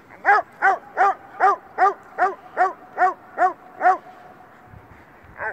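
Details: Bouvier des Flandres barking: a rapid run of about ten short, harmonic barks, roughly one every third of a second, then a pause before one more bark begins at the end.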